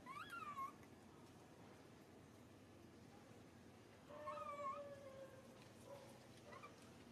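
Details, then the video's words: Hurt baby monkey crying after being grabbed: a short high wail, then a longer drawn-out lower whining cry with a shrill overtone, followed by a faint final squeak over steady room hiss. "Poor baby monkey SUCA crying out loudly"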